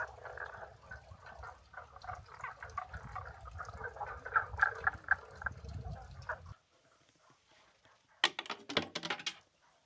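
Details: Frogs along the Kibune-Kurama Trail in Kyoto, Japan, on 6 May 2024, near a sign warning hikers about frogs: a dense chorus of short, rapid pulsed calls for about six seconds, then near quiet, then loud rustling bursts.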